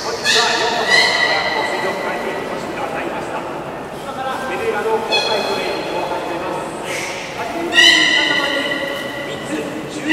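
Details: Captive beluga during a public training session at Port of Nagoya Public Aquarium, 18 July 2016, 13:30 show; bursts of bright, horse-like harmonic squeals and whinnies in three bouts, with a voice talking throughout in a large echoing hall.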